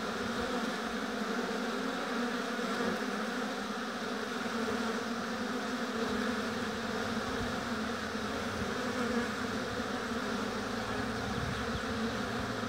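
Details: Massed honey bees buzzing at the hive in an apiary, a loud, constant hum with rich harmonics holding level for the whole stretch, occasional faint low rumbles beneath.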